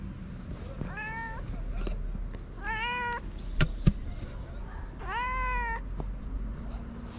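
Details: Two hungry stray cats on a street in Morocco, fed daily, calling out with three clear harmonic meows, each about half a second to a second long, rising then falling, spaced a couple of seconds apart over low rumbling street noise.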